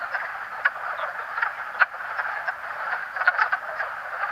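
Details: A male wood frog giving duck-like quacks at a vernal pool where the species gathers to mate each year, several sharp quacks popping above a continuous, rattling chorus of other calling males.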